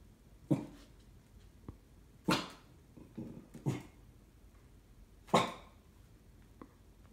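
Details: An indoor Cocker Spaniel barks suspiciously at an IKEA parcel: short, sharp barks at uneven intervals, with faint clicks between them.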